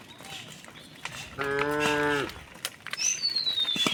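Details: Cow in a herd of thousands of cows and oxen walking peacefully along a rural road to their resting place; a single short harmonic moo under a second long, followed by a thin descending whistle-like tone and scattered clicks.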